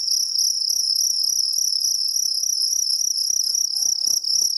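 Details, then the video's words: Jangkrik kalung, a two-spotted cricket, gives a steady, unbroken, high-pitched trill with a shrill ringing tone that holds even throughout. Faint low thumps sound underneath. "KRIK KRIK Suara jangkrik kalung"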